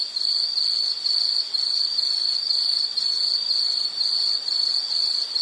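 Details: High, ringing insect trill pulsing in quick bursts roughly twice a second, each burst a bright buzzy ring at the same pitch, set against a quiet hiss.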